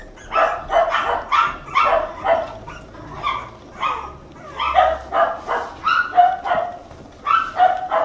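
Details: Two-month-old red Toy Poodle puppy, a male named Mikuru, living at a Tokyo puppy house in Machiya; high yappy barks come steadily, roughly one every second and a half, in short pairs and runs against quiet room noise.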